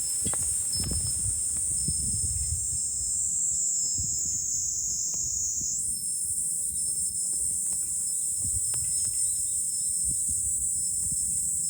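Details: Cicadas singing in July on high ground overlooking Fukuoka city, Japan: a dense, unbroken high shrill buzz that steps up slightly in pitch midway, over low gusty wind rumble.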